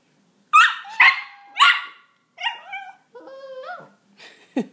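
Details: A Miniature Pinscher reacting to cat sounds played from a soundboard gives three sharp, high barks, then a run of whining, wavering yelps.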